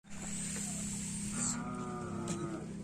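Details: Karapan racing bull in training at the Asemanis field: a sustained low droning moo with steady harmonics, brightening partway through, over a constant outdoor background hiss.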